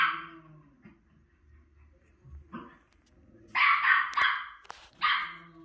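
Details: A female Miniature Schnauzer, watching herself on TV, gives a bark, a few soft grumbles, then a burst of rapid, loud, sharp barks and a final bark.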